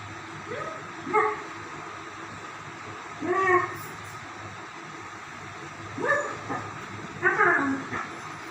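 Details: German Shepherds at play, sparse here: four separate bursts of yelping barks a few seconds apart, each a short harmonic cry, with quiet humming gaps between them.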